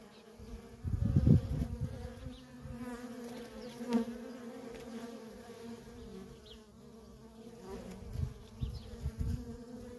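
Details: Constant flight traffic of worker honey bees at a feral colony, an even buzzing drone with harmonic layers, interrupted by loud low-pitched bursts of wing noise as bees pass right by.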